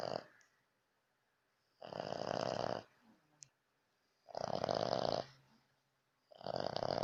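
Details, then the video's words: Sleeping French Bulldog Lakshmi snoring heavily at night; long grating snores of about one second recur roughly every two and a half seconds, with a brief faint click between them. "Французский бульдог храпит как мужик"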